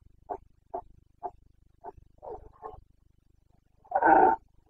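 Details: Carpathian red deer stag of Bucovina in rut, 29 September 2022, breeding season: four short clipped grunts roughly half a second apart, two throatier groans, then a full, loud, rasping roar at the end.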